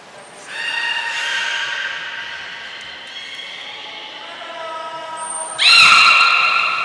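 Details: Training session for the belugas Gray, Nana and Mirai at Port of Nagoya Public Aquarium on 6 August 2023: long bands of harmonic squealing, gently falling, then a sudden loud upswept cluster of bright tones near the end.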